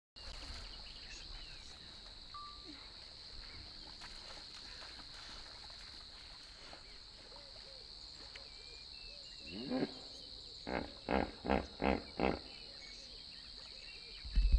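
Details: Two hippos call to each other in Kruger National Park, with a deep grunt, then a run of loud, rhythmic wheezing honks over a steady insect drone.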